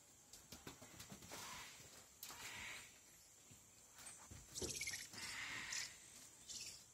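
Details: Squirrel monkeys giving high, tonal chirps with layered harmonics, brief squeaky notes bunched in the latter half, over steady clicking, tapping and rustling patter.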